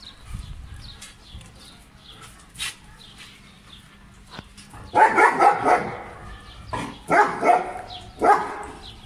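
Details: Playing German Shepherd dog in Pakistan, 2020, starting with quiet background clicks and thuds, then breaking into clusters of loud, harsh barks in three bursts over the final four seconds.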